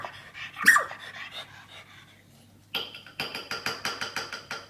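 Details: Poppy, a female Australian Terrier with a birth defect that leaves her unable to bark, squeaks instead. One sharp squeak comes early, then a pause, then a rapid series of strained, breathy squeaks and pants repeating about every third of a second.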